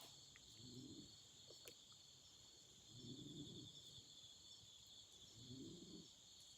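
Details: Night chorus of autumn insects near a campfire, heard as a continuous shrill trill layered in two high bands, with three soft, low crackling swells spaced about two and a half seconds apart beneath.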